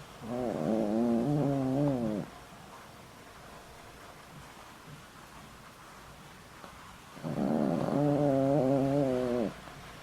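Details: Old house dog Boram-i, more than 20 years with the family and medicated for heart trouble, snores while asleep: two drawn-out wavering, tonal rasping breaths about two seconds long, separated by a quiet gap of several seconds.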